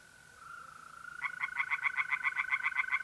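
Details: At a pond in North-East Italy on a mid-April night, tree frogs break into fast, evenly spaced rasping pulses, about four a second, over the continuous pure trill of mole crickets.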